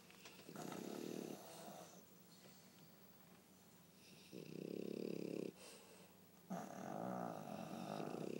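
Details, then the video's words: Pug named Pangpang asleep beside a French Bulldog named Pipi, the pair snoring in a duet: three rasping snore bursts, the last two about a second long, with quiet breathing gaps between. "巴哥犬 二重奏的打呼聲"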